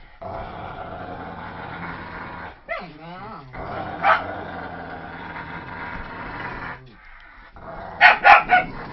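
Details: Staffordshire Terrier, German shepherd and poodle mix dog growling during a game of tug of war: a long, steady, rumbling growl with a few wavering rises, ending in a quick burst of three sharp barks.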